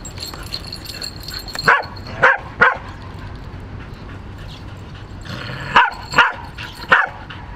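A Pembroke Welsh Corgi gives sharp, mid-pitched barks in two quick bursts of three.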